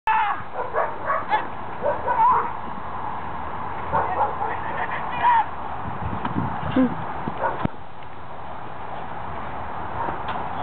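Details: A Rottweiler at a working field in July 2009 gives deep, rapid barks in quick bursts, with a person's voice mixed in.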